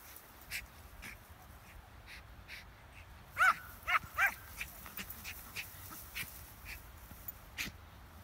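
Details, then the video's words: Schipperke dog playing with a ball, giving three short, sharp, high barks in quick succession near the middle, among scattered light clicks and tapping from play. "Schipperke dog playing with ball"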